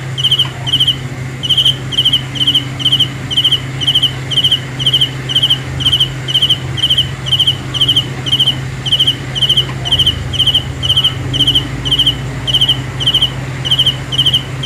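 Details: Night-time cricket song: rapid, regular bursts of high pulsed chirps roughly two per second, continuing without pause over a low steady background hum.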